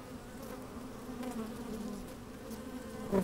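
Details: Worker honey bees busy in an opened hive, sunny day with some wind, microphone down in the hive: even droning hum with faint flickers of movement and a short louder buzz at the very end.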